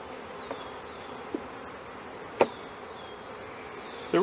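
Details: A quiet, even drone from many honey bees as a package is installed into a hive in May 2013, broken by a few knocks and a louder clatter at the end.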